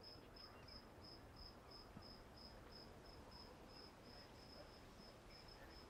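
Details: Walden Pond cricket, high short chirps repeated at a steady pace, around three per second, over a quiet low-pitched background murmur.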